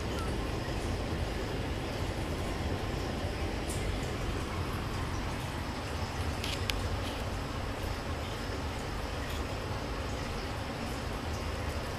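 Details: Loud steady rumble of a passing train or vehicle with broadband noise, no animal sound heard.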